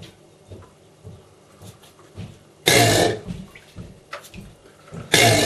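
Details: Male Chinese alligator, 12 years old, bellowing in captivity: two loud, harsh, broadband rasping bursts with deep low rumbling, the first lasting about half a second and the second cut off at the end, over a quiet dripping, indoor background.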